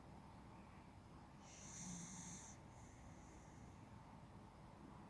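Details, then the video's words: Sleeping on the sofa late in the morning at 11:45 AM, Yoshio the male Beagle lets out one raspy snore of about a second, a hissing breath with a low buzzing rumble, amid quiet steady breathing. "my Beagle snoring at 11:45 AM"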